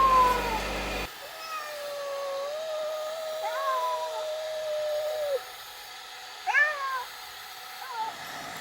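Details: Stray or community cat, filmed between summer 2016 and winter 2017: after a second of low humming noise, a drawn-out steady meow lasts about four seconds, followed by shorter bending, rising-then-falling meows, with quiet pauses between.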